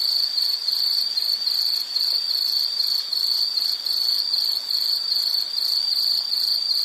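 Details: Insect in a nature sound recording, a continuous high-pitched shrill trill, steady and evenly pulsing throughout with no breaks, and no other sounds.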